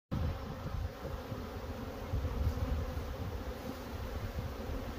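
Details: Honey bees at a busy, chaotic apiary, a dense, low, continuous hum of many wings that swells and fades slightly, with no other clear sounds.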